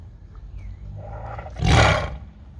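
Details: A tiger named Diego, at feeding time with chickens offered, gives a short, deep roar that swells into a harsh, rasping burst while refusing the offered food.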